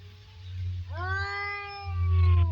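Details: Two domestic cats squaring up to fight: one long, drawn-out yowl that rises and then holds a steady, slightly falling wail for about a second and a half, over a low humming rumble.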